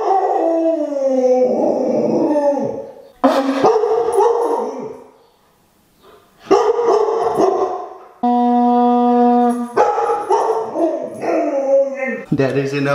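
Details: Siberian Husky in a howling tantrum, set off by a blown conch shell horn: long, loud, sliding howls that waver and fall, broken by short yips. The conch sounds midway as a flat, steady, droning blast.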